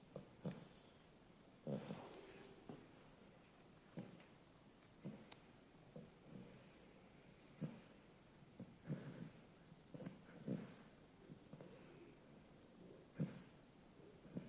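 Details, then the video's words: Beagle puppy Sid asleep after a light 4k walk, snoring in low, husky snorts roughly every second or so, some louder, rougher breaths standing out amid faint room quiet. "Beagle Sid. Snoring after a long walk."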